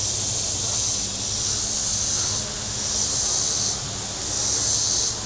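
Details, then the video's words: Very warm day at Table Rock Lake in southern Missouri: cicadas on shore give a high, hissing buzz that swells and fades in long waves, with soft low rumble of passing boats underneath. "Boating Lake Sounds and Cicadas"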